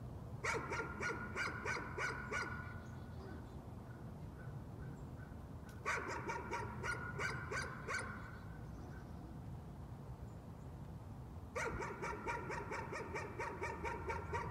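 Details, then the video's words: Dog in a nuisance barking episode: three bursts of rapid, high, sharp barks, about four a second, each burst lasting two to three seconds, with quieter pauses between them. "Nuisance barking again."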